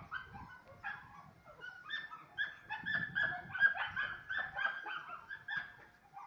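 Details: A Lagotto Romagnolo in Osteria Grande gives a rapid run of high, excited yips and short barks mixed with whines.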